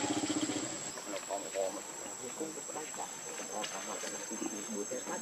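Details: Hungry baby monkey Leo Rainbow, very angry, crying and begging its mother for milk: a quick run of pulsed, harmonic wails that breaks into irregular whimpering cries, over a steady high insect drone.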